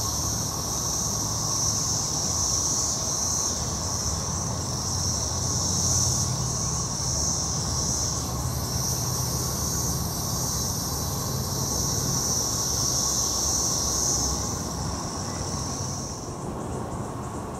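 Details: A dense chorus of periodical cicadas (Magicicada, Brood XXIII) in Jackson, Mississippi in 2015 makes a continuous high, shimmering, pulsing drone that swells and fades in waves and breaks off near the end, with a low traffic-like rumble beneath.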